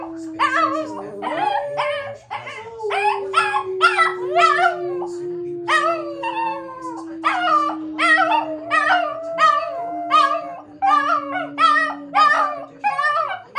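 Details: Pet Shih Tzus, one a young dog called Mocha, howl indoors: a long run of short, wavering, harmonic yowls repeated more than once a second. A steady low hum sits underneath throughout, and a television broadcast about a Starship launch plays in the background.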